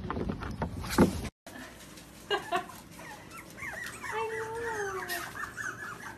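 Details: Dachshund, a sausage dog, whimpering indoors: a sharp short yelp, then drawn-out whines that waver, rise and slide down over several seconds, with a soft room background.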